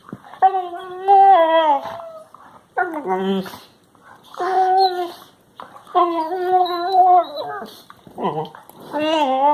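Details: Labrador Retriever puppies making weird, funny noises, recorded March 16, 2020: drawn-out, harmonic yodeling whines in several bouts of one to two seconds, wavering and bending in pitch, with short descending yelps between.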